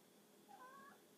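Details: A pet cat reacting with weird sounds to a tiny bug, giving one brief, thin, slightly rising tonal mew lasting under half a second against quiet indoor hum.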